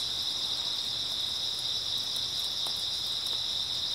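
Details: Grass insects trilling through an early autumn night, a constant high-pitched shimmering buzz with no breaks, a couple of soft ticks in the background.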